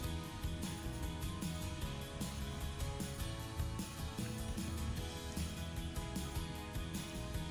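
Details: Steady music with strummed guitar and drums fills the recording, with no animal voice anywhere.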